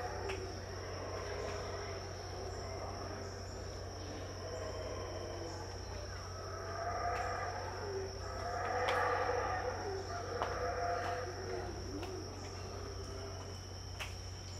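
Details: Around 6am at Tikal in Guatemala, howler monkeys out of sight give a rolling chorus of deep, rasping roars that peak in the middle, set against a continuous shrill insect tone and faint clicks.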